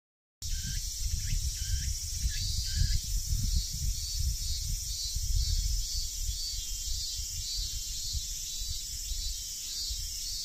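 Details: Cicadas call in trees during a hot late-August 2023 day in Tsuyazaki, Fukutsu, Fukuoka, Japan: a continuous, high, shimmering buzz pulsing faintly in steady waves.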